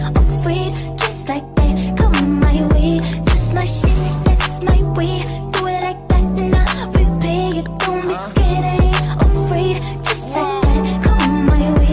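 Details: Loud rhythm-and-blues pop music with a steady beat and singing fills the whole stretch, with no animal sounds.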